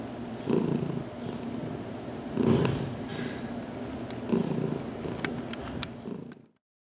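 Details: Heidi the cat, newly adopted and learning to accept massage, purring in a closet as her head is rubbed; low rumbling with three louder swells, light ticking sounds, then sudden silence at the end.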